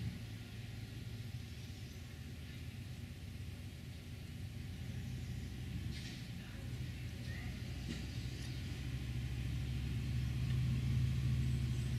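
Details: A steady low engine rumble from passing vehicles builds over the recording, and no animal calls stand out.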